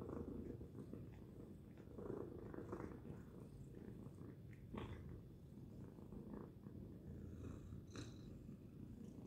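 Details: A domestic cat named Tacy purring loudly indoors: a steady low rumble throughout with pulsing swells of breath, plus a few faint clicks and rustles.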